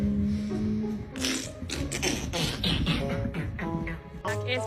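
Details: Music with rhythmic beatboxing-like vocal bursts and a few spoken words fills the clip. No purring or other animal sound comes through.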